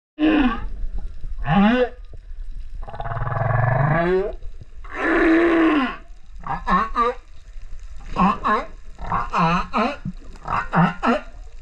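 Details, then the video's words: Singing male humpback whale off Rurutu, recorded with a GoPro on 28 September 2024: harmonic moans, a long buzzy groan near four seconds, then quick series of upswept and downswept cries, roughly four per second. "Humpback Whale singer Rurutu"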